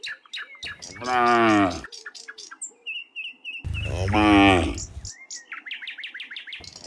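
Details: Dozens of cows walking home from the fields to the pen in the afternoon: two long, loud, harmonic moos of about a second each, with chirping birds between and after them.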